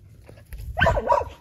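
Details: Dogs gathered at a fence: one short, bright bark with a brief follow-on yelp, heard just after a person praises them.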